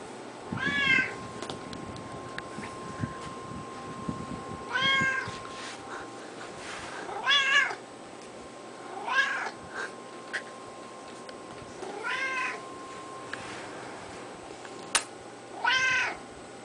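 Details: Male pet cat named Screamer, kept 13 years, meowing while being petted; six short arched harmonic meows spaced two to three seconds apart over a steady low indoor hum.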